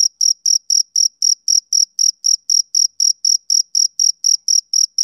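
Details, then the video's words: High, clipped chirps from a male cricket on a summer evening, repeated about four per second in a steady beat, alone in silence. "Cricket Chirping Sound Effect"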